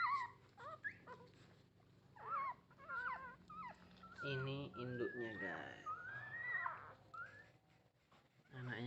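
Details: Puppies from a litter of nine ask their mother for milk with thin squealing whines and quick wavering yelps, while a person speaks Indonesian in the background midway through.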